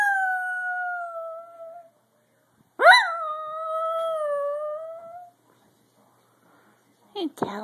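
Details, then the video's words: Pet Dachshund Daphne howling in a small room: a level wail fading out, a pause, then a fresh howl rising sharply and holding a long steady pitch, followed by a short upward squeal and a voice at the end. "Daphne Dachshund howling"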